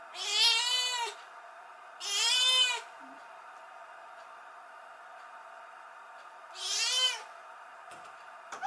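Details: Kitten that came in as a stray on a rainy night, calling out after the woman of the house leaves; three long, strained meows, two close together and a third after a four-second pause, in a quiet room.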